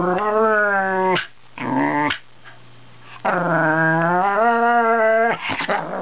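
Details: Indoors, a male Wire Fox Terrier talks to his owner at the computer, with a Border Collie nearby: long, wavering, howl-like moans, one brief yodel between, then a second extended grumbling moan ending in quick yips.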